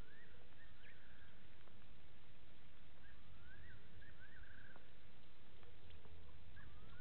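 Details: Side-striped jackal at Gowrie dam, Djuma Game Reserve, Sabi Sand, South Africa, 02:27 on 15 September 2018; several quick rising, tremulous notes spread through the recording over a hissing background.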